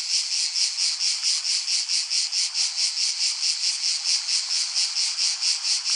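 A cicada calls with a loud, hissing high-pitched buzz that never stops. The drone swells and fades in quick regular pulses, a little more than two each second.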